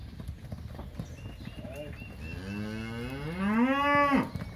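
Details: Crossbred heifers, one of a lot of 65 averaging 400 kg, in the São José do Rio Preto region of São Paulo, Brazil. A single long moo rises steadily in pitch and grows louder before ending abruptly. Faint background noise is heard throughout.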